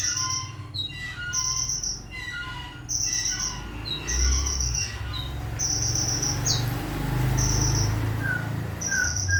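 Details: Cricket chirping in steady, high, shrill bursts, each roughly half a second to a second long, separated by short gaps, with small birds twittering in the background and a low rumble underneath.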